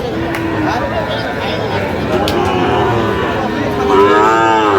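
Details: Sahiwal cattle at a busy cattle market on 23 August 2025, where a Sahiwal bull calf is being bought; a low, harmonic moo swells near the end over steady crowd chatter and market bustle.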